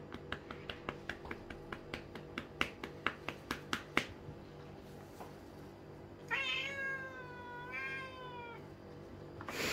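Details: Male Lynx point Siamese cat Mico demands more bottom pats at home. A quick series of regular taps runs for four seconds and then stops. After a short quiet gap comes a long, loud, drawn-out meow lasting over two seconds, level then slightly falling.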